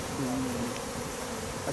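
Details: Honey bee buzzing: a steady low hum that dips slightly in pitch for about half a second, set against dense, constant broadband noise.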